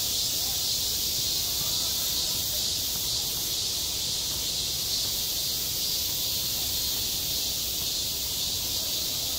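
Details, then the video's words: Cicadas crying over a school playground on a hot summer day, a constant high sizzling chorus with slight pulsing swells, steady from start to finish. "한 여름 운동장에서 매미가 울고 있다 - 여름의 소리, 학교 종소리, 매미 울음소리"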